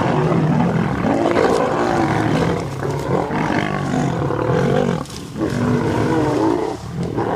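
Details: Wild lions fighting on August 11 at sunrise: three males against pride females protecting cubs. Deep rumbling growls and snarls in repeated surges, a short lull around the middle, then renewed harsh roaring.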